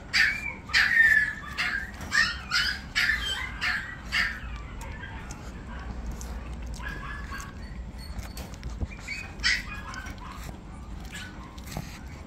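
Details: Brussels Griffon youngsters, described as going at their own pace, letting out a run of high, squeaky yelps and whimpers that fade into softer, scattered whines against a low indoor hum.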